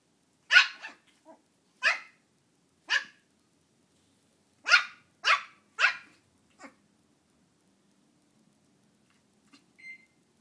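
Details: Shih Tzu puppy named Belle, very upset with a small Halloween pumpkin indoors, lets out six shrill, sharp barks, one, then two spaced singles, then three in quick succession, followed by quiet and a faint final yip.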